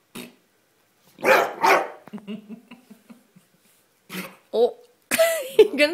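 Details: An indoor Bulldog angered by fart noises from its squeaky toy lets out two harsh barks, then a low grumbling; a woman's voice speaks and more barks mix with her talk near the end.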